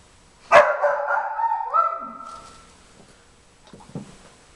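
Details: Wanting to help with nosework, the young Briard Jimmer (4.5 months) sounds off in the background: one loud bark stretching into a long, wavering howl-like tail lasting about two seconds, then faint rustling and soft thumps.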